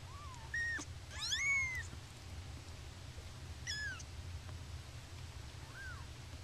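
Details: Young kittens mid-yawn and stretch let out a few piping mews: a quick cluster of bright rising-falling cries, a pause, then more scattered squeaks, with a low hum underneath.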